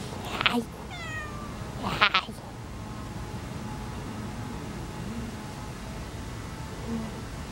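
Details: Domestic cat beside another black cat, two short rising-falling meows near the start with harmonics, then quiet background hum; a faint low sound near the end.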